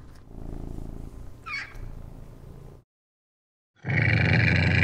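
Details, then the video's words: Rare wild cat giving a low continuous rumbling purr with a brief higher sound in the middle. After a short silence comes a loud harsh broadband growl. "Some Rare Cats and their Sound Effects"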